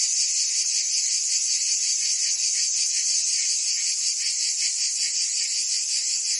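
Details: Summer chorus of cicadas in Provence, France, a continuous shrill hiss-like buzz with slight rhythmic pulsing, loud and even from start to finish, nothing else audible over it.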